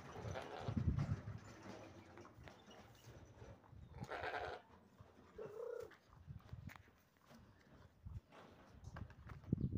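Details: One of four young sheep offered ahead of Eid in the Doukkala region gives several low, hoarse bleats, scattered across the stretch, while a man talks nearby amid outdoor rustling.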